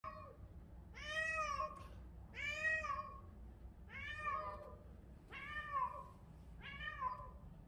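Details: Stray cat named Sun, in heat, crying loud enough to fill the neighbourhood alley in Korea: five drawn-out, harmonic meows, each rising then falling, repeated about every one and a half seconds over low background rumble.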